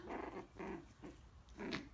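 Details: Almost four-week-old Coton de Tulear puppies play and bite in a pen with their mother watching; rough, breathy little growls come in three bursts, each about a third of a second, separated by brief pauses.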